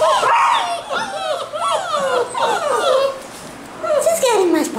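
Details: Basset Hound puppies at a kennel in Londrina, Brazil: a series of thin, high whines that slide downward, several in a row, with people talking close by indoors.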